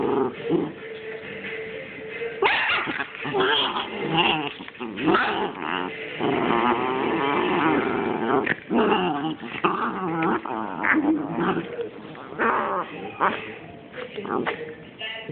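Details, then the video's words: Puppy vocalizing in a chattering, baby-like way: a rough mix of low growls, whines and short yelps with varying pitch, running almost without pause, and a person's voice briefly heard. "Puppy version of babies talking."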